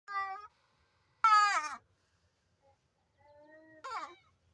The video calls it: Goat 🐐 with abnormal sound